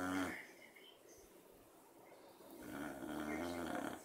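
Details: Otis the beagle dozes through his afternoon nap next to Chanch, a dachshund; a brief snore tail at the start, a quiet pause, then a long, rising, raspy snore building toward the end.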